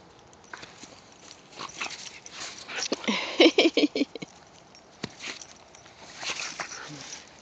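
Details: Whippets, two of them named Mikey and Kieran, romping alongside a rat terrier in the season's first light snow. A quick burst of short, sharp yips clusters mid-way, set against soft patter of running paws and scuffling.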